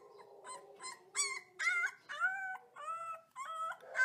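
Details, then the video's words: Young wolf pups give a rapid run of short, wavering howl-yelps in close succession. The notes rise and then bend down, about two per second, with a few higher squeaks mixed in. "Baby Wolf Pups Howling"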